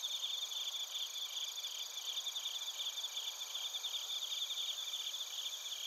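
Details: Chorus of bell crickets and other crickets from Narita, Chiba, Japan, recorded with a TASCAM Portacapture X8. Bright, steady, high trilling with rapid pulses and an overlapping ringing tone, unbroken throughout.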